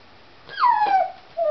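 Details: A domestic dog, worked up over a cat outdoors, gives one long whine that slides down and levels off, followed by a brief second whimper.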